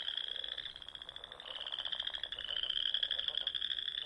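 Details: Frogs in the Nebraska Sandhills singing in spring at dusk: a continuous high pulsed trill from several animals at once, with a fainter lower rattling pulse beneath it.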